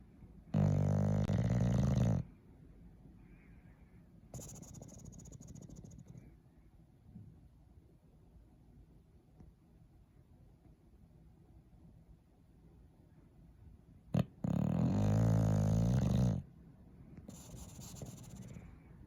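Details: English Bulldog snoring: two long, loud, deep rasping snores, each lasting about two seconds with strong low rumbling tones, separated by a stretch of soft, quiet breathing.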